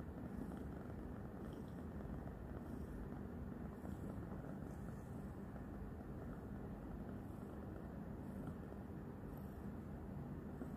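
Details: Continuous low rumbling purr from Roxa, a new domestic kitty, while she licks and bites a hand; the sound stays even and engine-like from start to finish with faint soft ticks above.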